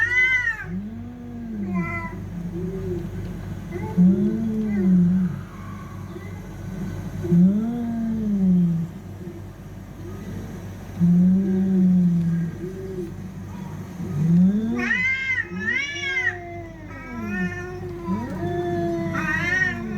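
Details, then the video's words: Fighting cats moaning in long, low, arched yowls spaced a few seconds apart, then breaking into louder, higher, strained wails toward the end over a constant low hum. "TRY THIS SOUND ON YOUR CATS"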